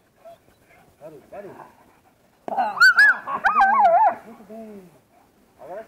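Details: German Shepherd bitch in protection training gives a burst of high, wavering whines and sharp yelping barks lasting about two seconds, framed by quieter human talk before and after.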